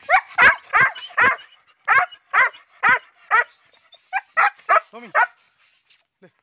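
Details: German Shepherd stud in Azamgarh, offered in exchange for two females, giving loud clear barks roughly twice a second, then softer yelping barks and a brief whine as the series fades.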